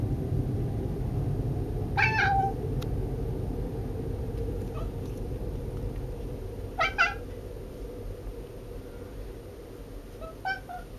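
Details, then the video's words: Mica, a silver Bengal cat, making odd noises indoors: three short, rising chirpy meows spaced a few seconds apart over a steady low background hum. "Mica and the weird bengal noises she makes"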